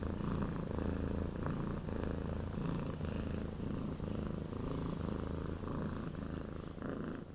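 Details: Deep, even purring from Pattric, a Cat Haven WA foster cat whose hissing was all bluff, the low vibrating rumble swelling and easing with each breath.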